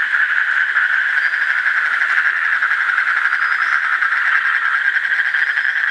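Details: Continuous rapid trill from an Asian common toad, a dense, buzzy, evenly pulsed tone held at one pitch for six seconds without a break.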